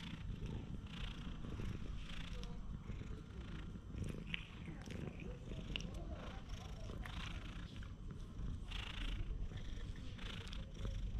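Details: Stray cat relaxing in the middle of a park path, giving a steady low rumbling purr that runs without a break, with scattered soft higher noises and faint human voices nearby.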